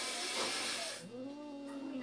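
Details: Caged cat that has caught a rat gives a harsh, breathy hiss lasting about a second, then a low, drawn-out moaning growl that rises slightly and holds steady to the end.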